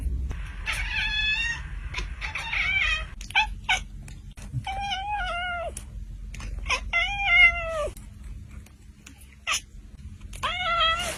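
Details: Cute kittens meowing almost continuously, many overlapping high mews, some rising then falling, others flat and drawn out, a few sharper squeals, with faint tapping and a low hum beneath.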